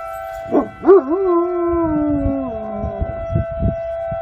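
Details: Komondor or Puli dog giving a single smooth howl that rises, wavers, then slides slowly downward over about two seconds, backed by a steady electronic tone and soft rustling.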